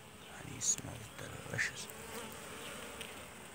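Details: Honey bees working inside their hive on the second super, filling combs about three weeks old that are almost full; a soft, diffuse buzzing hum with a few brief louder flicks of passing wings.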